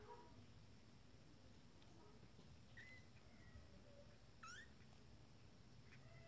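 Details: Twenty-day-old kittens from a first litter exploring their playpen for the first time; a few faint, high, rising mews, one short one near the middle and a sharper squeaky cry later, over quiet indoor background hum.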